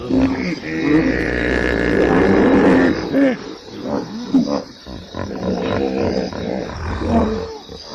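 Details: Hippopotamus giving a long sustained groaning call followed by shorter bending grunts and honks, several overlapping voices, fairly steady loudness with a brief dip midway.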